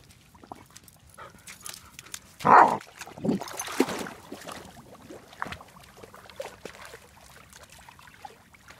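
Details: Almost four-month-old German Shepherd Dog puppy at a pond for the first time, learning to swim and bubble bark: one sharp, loud bark burst, then softer splashy yelps and quiet outdoor background.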